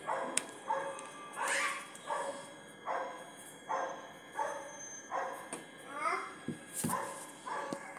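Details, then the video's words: Dogs barking repeatedly, sharp harmonic barks arriving roughly every second in loose, uneven bursts over a steady faint background hum. "sorry for the dogs barking"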